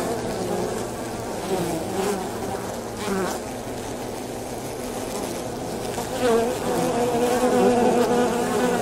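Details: Buzzing of a swarm of avispa angolita wasps (Polybia occidentalis), an insect that builds hanging nests in trees and under roofs; a dense continuous wing hum that grows louder toward the end.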